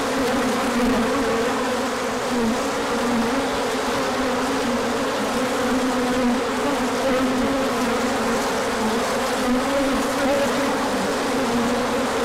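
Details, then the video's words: Many honeybees buzzing together during a large orientation flight on 24 March 2024, out in the sun after a colder spell; a dense, steady droning hum with wavering low tones throughout. "Large Orientation Flight."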